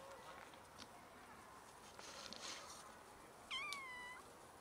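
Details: Cats from a large colony living by a dumpster and feeding from it; one short rising-then-falling meow near the end over steady background hiss and faint clatter.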